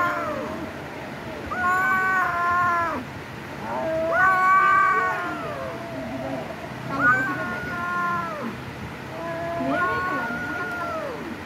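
Domestic cats trade long, wavering yowls during a fight, each wail drawn out and falling at the end.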